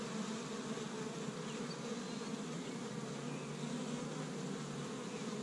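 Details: Spring honey bee activity at an established hive in Michigan on the first warm day, bees gathering pollen from tree buds; a thick, unbroken humming drone of numerous bees, constant in pitch and loudness.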